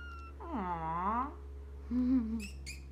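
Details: Exotic Shorthair kitten a few weeks old, raised by a breeder, gives two clear meows: a long, wavering, tonal cry that dips then rises, then a shorter, flatter, lower one, followed by faint clicks and a steady low hum.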